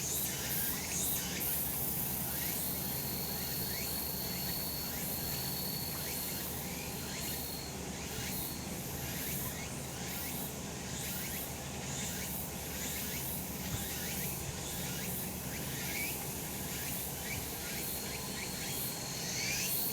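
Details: Cicadas singing in the sun on a mountain in summer: a dense, shrill, buzzing chorus in repeated pulsing waves, over a steady low rumble of background noise.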